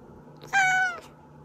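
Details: Single pet cat meow, used to coax hiding cats out: a bright, harmonic, half-second cry, level in pitch and falling slightly at its end, in a quiet indoor setting with faint hum.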